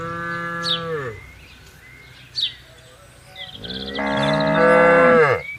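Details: Cattle from a tame herd grazing and roaming freely in a wide garden: a moo tails off, a quiet pause with bird chirps follows, then a long, loud, rising-and-falling bellow closes the stretch.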